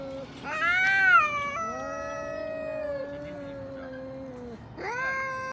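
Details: Domestic cats fighting, one called Xiaohui backing off; a rising cry peaks into a long, slowly falling, moaning yowl held for about three seconds, then a new rising wail begins near the end.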